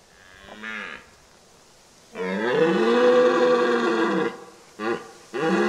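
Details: Red deer stag roaring during the October rut: a short grunt, then a long, strained, harmonic bellow of about two seconds, followed by two brief gruff roars.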